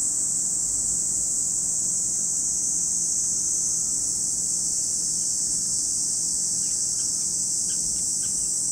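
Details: At Lake Kamo in Sado City, Niigata Prefecture, Japan, cicadas keep up a continuous high, hissing drone; a handful of short faint chirps appear near the end.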